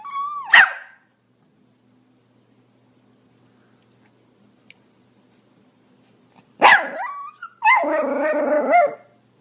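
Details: Pomeranian. A Pomeranian lets out a shrill, yappy bark, falls quiet for several seconds, then barks again. The last outburst stretches into a strained, whiny bark with a rough edge.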